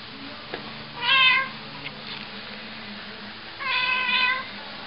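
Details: A Cornish Rex cat gives two drawn-out, harmonic meows as two Cornish Rexes fight: white Doodle, about 7 lb, and Killian, almost 13 lb. A quiet room hum is heard behind.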